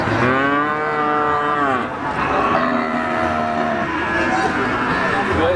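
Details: A PO Jawa feeder bull at the Siyono Harjo livestock market in Gunung Kidul, Yogyakarta, Indonesia, gives a long, low, harmonic moo that holds steady and then drops. A second, rougher moo follows, with faint market crowd noise underneath.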